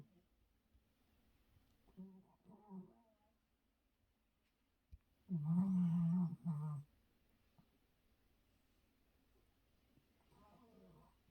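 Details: Sleeping dog snoring softly in a quiet indoor room, giving low, rumbling snores at about 2, 5 and 10 seconds, the middle one loudest and longest.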